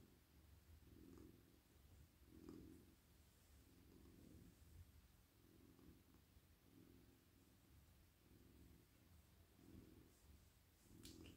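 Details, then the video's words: A soft, cosy male pet cat purrs contentedly while petted on a lap at night, a deep rumble pulsing in even cycles roughly every second, steady and regular across the recording. "Cosy cat purring"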